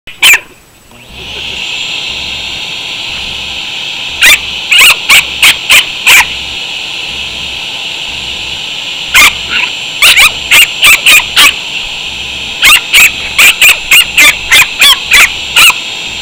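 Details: Chihuahua named Natcho, reacting to a shop vacuum he hates, gives loud, sharp barks in rapid bursts of three to six, over the steady high whine of the running vacuum.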